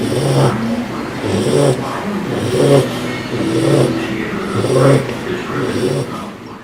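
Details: A snoring bulldog, the rasping breaths repeating about once a second but partly masked by a steady low background hum and faint voices.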